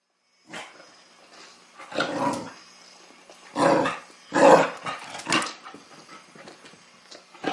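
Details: Chow Chow puppy named Sasha, teething, playing for the first time with a mechanical ball toy: bursts of rough barking and growling at irregular intervals, with quieter gaps between.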